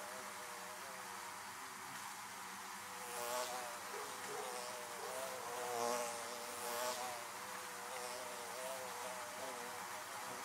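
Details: Droning swarm of bees around their hives, a continuous multi-toned hum broken by several close flybys that swell and fade at irregular intervals of a second or two.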